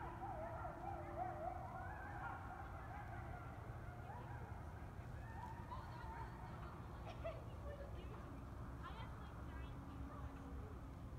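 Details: Coyotes howl at night in November by the Fairview Liftbridge over the Yellowstone River, North Dakota, echoing off the bluffs before holiday fireworks; wavering, overlapping tones over a steady low rumble.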